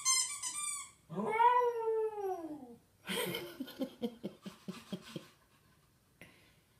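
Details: A house cat imitating a wolf: a high, wavering, harmonic wail, then a long arching yowl that climbs and sinks over about two seconds, followed by choppy, pulsed vocal bursts and quiet room sounds.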